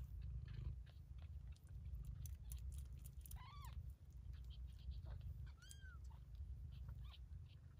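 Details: Bengal kittens at two weeks old: a continuous low purring rumble with faint scuffling, and two brief arched mews, the second slightly higher and thinner, a couple of seconds apart.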